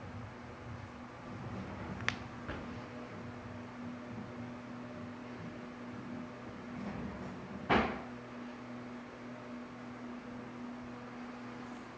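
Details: Indoors, a low steady hum carries on while two sharp knocks, like a cupboard or door closing, break the quiet, and no animal is heard.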